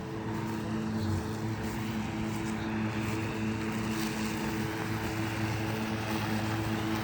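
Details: A steady low engine drone with a constant mechanical hum and layered tonal lines holds throughout; no animal voice stands out.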